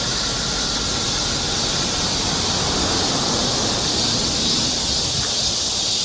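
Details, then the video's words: Cicadas singing along a summer forest trail in Seoul, Korea: a steady, high, hissing drone that fills the upper range without pause, with a faint low rumble of background noise beneath it. "cicada sound"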